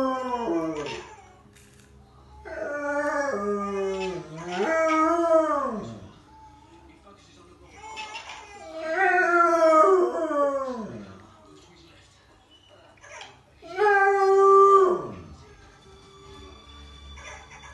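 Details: A Rottweiler gives long, wavering howls that rise then slide down, repeated several times, "chatting" with a child.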